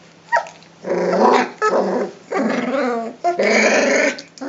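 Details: Three-week-old Rhodesian Ridgeback puppies in a kennel, playing and growling at each other: three long, rough, rumbling growls with brief gaps between them, plus a couple of short squeaky yelps.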